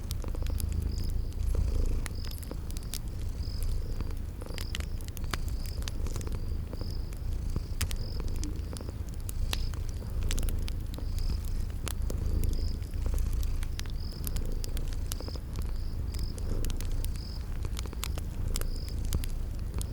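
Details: Sleeping cats purr steadily by a crackling fireplace amid spring garden ambience. The low rumble holds for the whole stretch, overlaid by frequent fire crackles and a regular series of short, high chirps repeating about every second.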